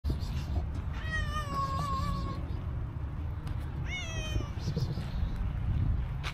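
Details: Stray cow-patterned cat approaching a person, giving a long drawn-out harmonic meow that wavers and falls slightly, then a shorter rising meow about two seconds later, over steady low outdoor rumble.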